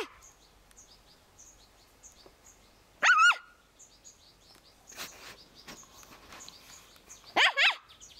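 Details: Young Scottish Terrier puppy playing happily in a garden gives two sharp, high, strained yelps about four seconds apart, while small birds chirp steadily in the background throughout.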